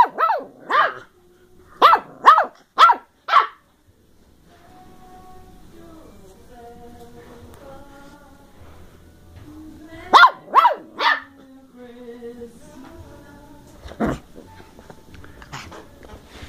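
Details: Ten-week-old female Bedlington Terrier puppy of working strain from the hills of South Wales, barking while playing indoors: bursts of short, high, yappy barks, four in quick succession, then another cluster later, with a person's playful teasing talk between.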